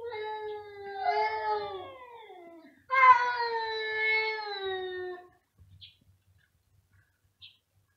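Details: Domestic cat meowing very loudly indoors: two long, drawn-out wails, the first wavering and slowly falling, the second starting sharply and gliding down before stopping abruptly, followed by faint clicks and quiet.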